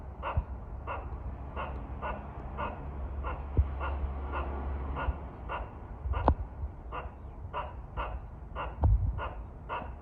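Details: At a shrine in Kawazu town, Shizuoka Prefecture, a squirrel threatens birds with a long run of clipped, raspy barks, roughly two per second, a few sharp clicks and low rumble behind.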